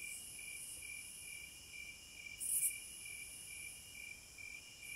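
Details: Wilderness cicada chorus. A continuous thin, high ringing hum rises to one louder, sizzling buzz midway, then settles back into the even drone.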